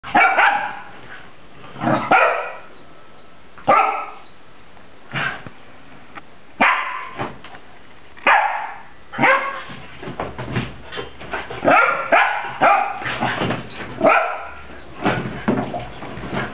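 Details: Two puppies, Zak the German Pinscher pup and Tara the black German Shepherd puppy, play and antagonize each other indoors: sharp yappy barks in separate bursts, a few seconds apart at first, then quicker clustered barks and yips toward the end.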